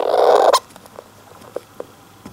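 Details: Captive male golden hamster in its cage, early afternoon, possibly half-asleep or irritated: one harsh, buzzy, rasping cry lasting half a second, followed by faint scattered clicks and rustles.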